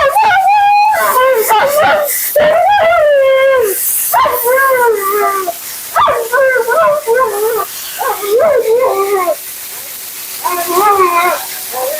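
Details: Dramatic Husky Mila protests her bath and blowout with long, wavering 'talking' howls, bending up and down in pitch, in bursts of a second or two, with a person's voice faintly behind.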